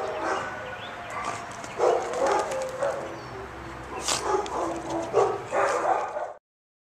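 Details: Dog barking in short, irregular bursts, with several loud barks about a second apart and the last few close together, over a steady background of room noise.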